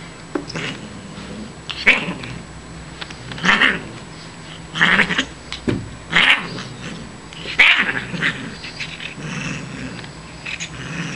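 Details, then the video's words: Siamese cat Shiloh, a female found as a tiny kitten behind a grocery store, vocalizing during playtime at home: harsh, broadband yowling calls in short bursts, repeated roughly every one and a half seconds, with quiet room noise between. "SHILOH THE CAT PLAYTIME"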